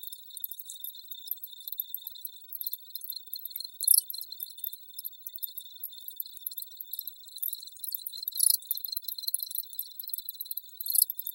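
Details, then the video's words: Crickets chirping steadily in a high, thin band, with denser bursts of shrill pulsing near four, eight and eleven seconds; no other sounds stand out. "Crickets Audio Sample"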